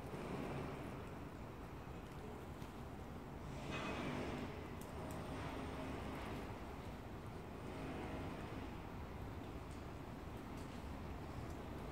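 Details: Outdoor urban background of passing cars and a distant roadway hum swelling and fading, with no animal calls.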